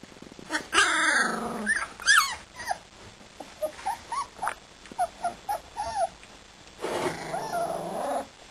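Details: Siberian Husky puppies, two and a half weeks old, playing together: a quick run of about a dozen short, high, squeaky yips and whimpers with bending, arching pitch, then a longer whiny cry near the end.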